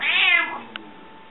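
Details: Hungry pet cat named Rika meowing indoors in Latvia-language household: one drawn-out harmonic meow rising then falling over about half a second, followed by a faint short tick and quiet room tone.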